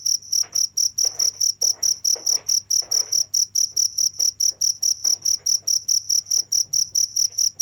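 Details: Cricket chirping steadily for a long stretch, shrill high pulses repeated a little over twice a second in an even rhythm, with faint soft rustling and knocking underneath.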